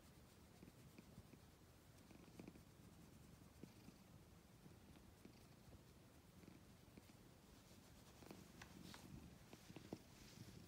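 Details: Steady, deep purring from a black and white cat runs throughout at low volume, with faint scattered ticks and rustling over the last few seconds.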